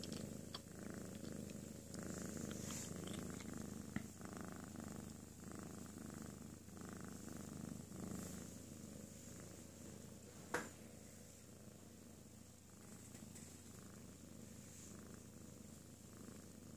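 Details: Pet cat Ms. Miya purring while napping after a playful tantrum: a steady low rumbling purr, pulsing in regular breaths of about a second each, with a sharp click near the middle and a faint hum in the room.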